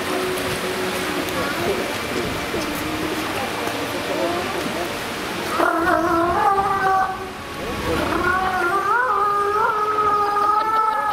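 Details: Walruses at Pairi Daiza zoo give a spontaneous whistling concert of steady, tonal notes, some held flat and others sliding, over a busy background murmur of visitors.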